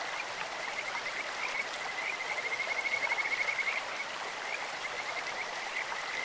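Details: Kajika frog in a clear-flowing stream, its voice described as beautiful, like a bird or insect. A thin, high whistled trill comes and goes, loudest in a rapid pulsed run mid-clip, set against steady running water.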